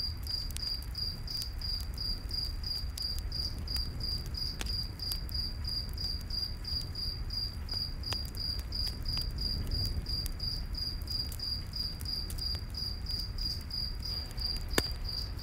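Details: Crickets chirping at night in a forest beside a campfire: a steady, high, pulsed trill repeating rapidly and evenly throughout, with scattered crackles and pops from the fire and a low rumbling background.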